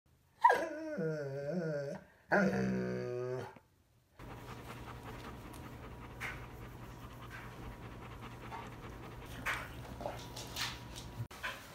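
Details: Brownie, a Bernese Mountain Dog who loves hugging people, being hugged: two drawn-out, wavering, groaning whines with a warbling, moaning quality, each over a second long, then a quiet stretch of low indoor hum and faint rustling.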